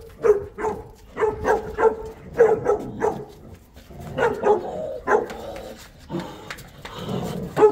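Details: Boerboel, or South African Mastiff, from the couple Enzo and Diva living in Egypt, giving a run of short repeated barks and yips in quick bursts, some paired, with pauses between groups.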